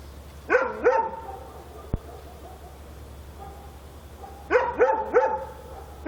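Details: Night-time dog barking in Korea: two quick pairs of short, ringing barks separated by several seconds of quiet, with a faint click between them and a constant low hum.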